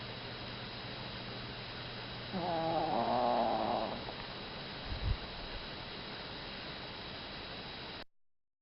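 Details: Chihuahua asleep and snoring, possibly short on sleep from the summer heat, sounding like a middle-aged man: one buzzy, wavering snore of about two seconds over steady electrical hum, followed by a soft thump.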